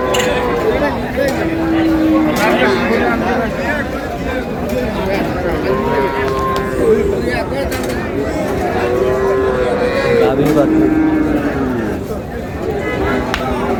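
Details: Cows with calves, including one calf said to be two days old, at Ambari cattle market in Dinajpur, Bangladesh; several drawn-out lowing moos rise and fall over busy crowd chatter and haggling voices.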